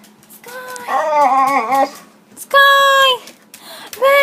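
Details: Female pet dog, indoors, wildly excited as someone comes home, which she shows by carrying a toy or bone in her mouth: drawn-out, wavering whines and moans in three bursts with short pauses between them.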